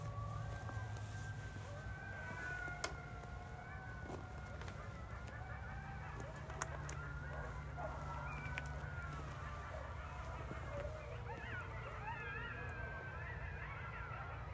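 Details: At night in rural Missouri, a coyote pack howls in wavering, overlapping siren-like notes as a train passes with a heavy rumble; owls and domestic dogs may also join in.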